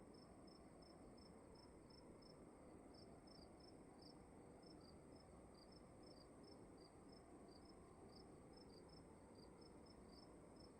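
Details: Cricket chirps inside a room, with high, brief pulses in two interleaved, slightly offset series, over a steady low-frequency hiss.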